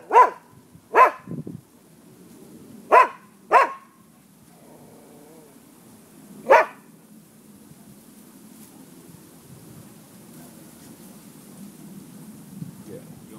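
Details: Free-roaming neighbourhood dogs in Florida, recorded at midday on 5 November 2015, give five sharp barks in the first seven seconds, including a brief low growl. Quiet traffic-like rumble fills the rest.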